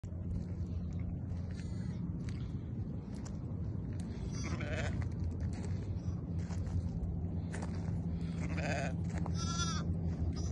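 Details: Young lamb giving short, quavering bleats, three of them spaced through the second half, heard over a constant loud low rumble that resembles wind or handling noise.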